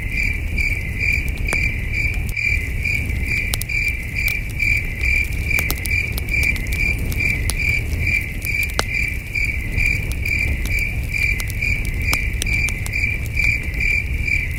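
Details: Night chorus of crickets at a wilderness campsite under the stars: an even, rapid train of high chirps, about two per second, over popping campfire crackles and a deep low hum.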